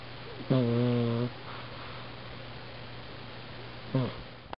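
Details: A domestic cat snores in its sleep, recorded on a budget compact camera: one long buzzy snore of under a second, a quiet stretch with low hum, then a shorter snore starting near the end.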